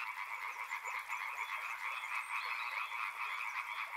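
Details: Frogs calling by a river: a dense, steady chorus of overlapping rapid croaking pulses forming a continuous buzzing trill, with faint scattered higher chirps above.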